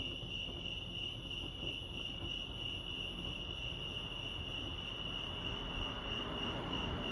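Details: Crickets at Lake Arrowhead, California, producing an unbroken high, ringing chirp trill, slightly pulsing, above a broad low rumble of outdoor noise.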